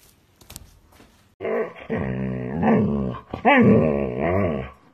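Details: Key the husky, indoors in a small room, gives a drawn-out, growly, talking-style vocalization with wavering pitch. It starts after a quiet opening of soft clicks, rises and falls in rolling waves, and pauses briefly before a louder second phrase.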